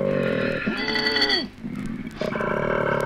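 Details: An Australian male koala grunts in deep, rasping, motor-like bursts, a long throaty rumble that dips and fades, then a second loud buzzy grunt after a brief pause; 1968 recording.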